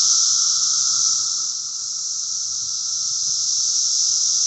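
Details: A loud, steady cicada drone measuring about 80 dB, recorded about 40 feet from the tree branches: a continuous high-pitched buzz that barely wavers.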